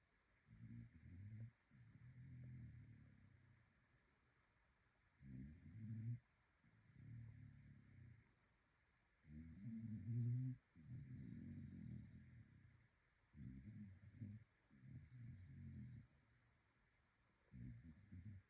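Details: Dog snoring: low, rough rumbling snores in long drawn-out bursts of one to two seconds, separated by short quiet gaps, with a faint steady hum in the background.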